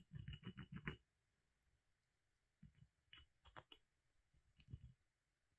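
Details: Molly, a pet squirrel kept indoors, gnawing a hazel branch given as a surprise: quick bursts of dry crunching clicks, a pause of over a second, then further irregular scraping bites, with quiet room tone between.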